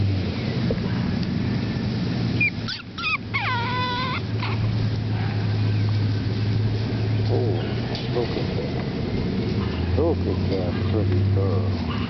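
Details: Seven-week-old AKC Boston Terrier puppies from the Bosarts Sparkle x Champion General Lee litter: a quick run of high, wavering whimpers and squeaks between two and five seconds, over a woman's soft talking and a steady low hum.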